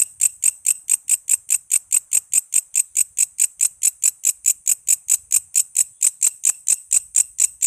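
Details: A keen walang kece katydid, used to tutor murai, lovebirds, cucak ijo, kacer and other songbirds, gives an evenly spaced, metronome-like series of shrill, buzzy chirps, slightly over two per second.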